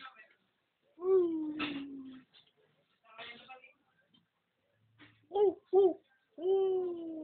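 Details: Dog trying to crow like a rooster indoors: drawn-out, wavering howls sliding downward, then two short yelps and a final sustained tone, separated by brief silences.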